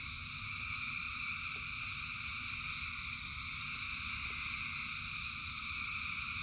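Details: Frogs calling in the rain, many voices merged into a dense, unbroken chorus of steady high trilling layered in several pitches, with a constant low rumble and occasional faint drips or taps.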